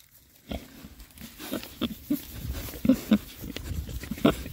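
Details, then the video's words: Rare-breed Oxford Sandy and Black pigs, six boars foraging outdoors in winter between storms, giving short low grunts and oinks at irregular intervals, a few louder bursts, with rustling and munching underneath. "rare breed Oxford Sandy and Black, happy pigs, winter forage. 6 boys. ASMR oinks."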